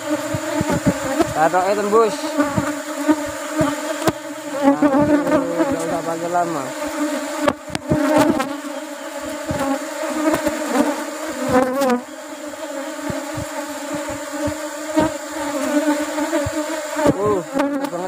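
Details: Asian honey bees (Apis cerana) of a large colony being harvested for rubber-blossom honey; a continuous droning hum with stacked harmonics runs throughout, mixed with repeated clicks, thumps and brief sliding tones.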